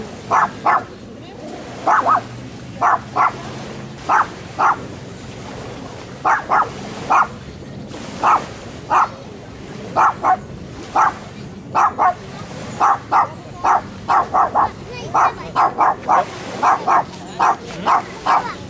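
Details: A dog barking, filmed handheld on a 4K camcorder: sharp, short barks in quick pairs and clusters, repeated steadily about every second for nearly twenty seconds, over a low hum of background noise.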